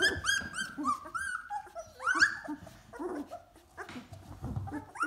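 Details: Golden Retriever pups, two weeks old and scrambling around the whelping box, cry out in loud, rising-then-falling whines and squeals, several puppies overlapping, with little grunts and rustling beneath.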